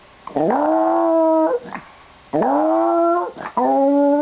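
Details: Domestic dog vocalizing oddly as its owner gets ready to leave for school; long, tonal, howl-like whines that swoop upward and hold steady, two full calls with short breaths between.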